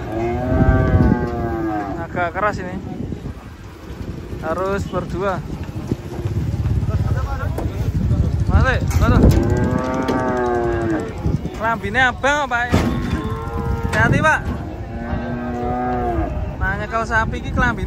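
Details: Cattle unloaded from a truck, one of them raging: deep, drawn-out moos with rising and falling harmonics sound again and again, mixed with people shouting warnings and background music.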